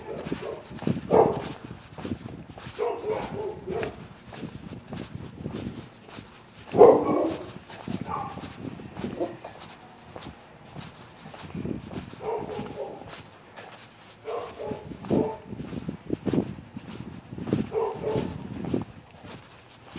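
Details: Neighbourhood dogs barking at night at people using the public sidewalk on either side of the street; repeated short harsh barks in uneven bursts, several close together, with faint background noise between.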